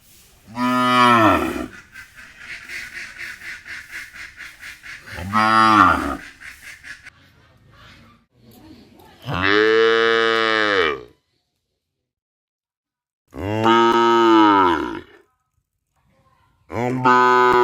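A cow gives loud, drawn-out moos, several in a row with pauses between.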